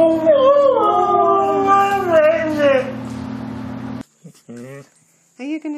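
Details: Dog yowling in an effort to say "hello": one sustained, wobbling howl that bends up and down for about three seconds, followed by short human voice fragments.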